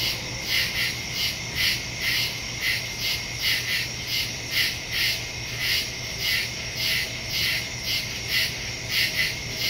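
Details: Crickets chirping at night in the woods, recorded September 2, 2023 on a phone with a stereo microphone; high pulsing chirps repeat steadily, several callers overlapping with a continuous high ringing trill and a low hum beneath.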